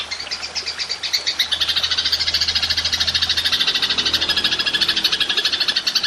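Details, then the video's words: Golden grasshopper (belalang emas) used for training songbirds: a continuous, fast, raspy high-pitched trill that pulses quickly and holds steady for the whole stretch, with a faint low hum early on. "Belalang Emas Nembak Panjang"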